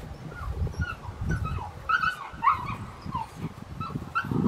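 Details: Rottweiler puppy born June 5, 2021, recorded August 22, 2021, while being introduced to a toy during shaping training: thin, wavering whines and yips at mid pitch, repeated throughout, over low rumbling handling noise.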